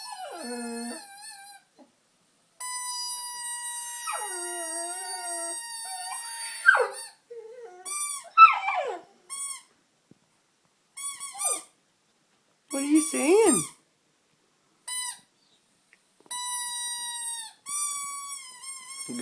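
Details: Honey the dog 'sings' while people tease her as she plays with a squeaker torn from a toy. Short dropping whines and wavering howls are broken up by bursts of steady, high squeaker tones and brief pauses.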